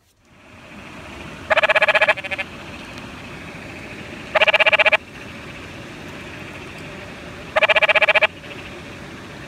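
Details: Canyon treefrog calling at night near water in Sabino Canyon, Tucson: three harsh, rapid rattling bursts, each about half a second long, roughly two to three seconds apart, over steady background hiss of flowing water.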